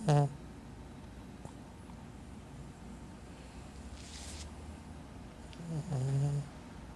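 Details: Caramelosh the cat snoring at home: a brief rough snort at the opening, a long quiet pause, then a drawn-out grating snore near the end.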